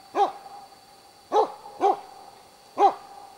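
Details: Dog barking at bay on three moose, a cow and two calves, at Båthussjön, Huskölen in 2008; four strong, gruff barks with uneven gaps of half a second to over a second.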